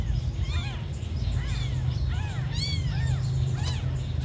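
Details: Abandoned, very small kittens mewing: thin, high arched cries that rise and fall, several overlapping in quick succession, over a steady low rumbling background noise.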